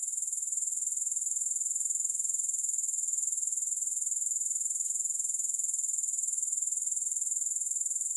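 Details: Grasshoppers in a long sleep and relaxation recording: a steady, very high-pitched shrill trill that pulses rapidly and evenly, about two beats a second, without a break, with no music or other sounds.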